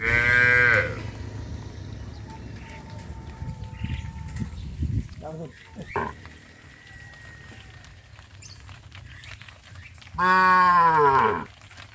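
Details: Cattle heading out to a green grass pasture in a rural village; two loud moos, one at the start and one near the end, separated by shuffling, clunks and a thin whistle-like tone.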